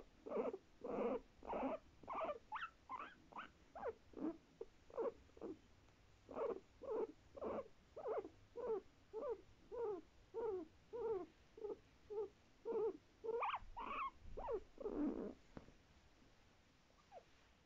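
A guinea pig gives short, squeaky barking calls, repeated about twice a second in a steady run.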